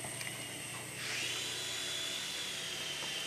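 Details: Mechanical whirring that rises into a steady high-pitched whine, like a small motor or drill spinning up.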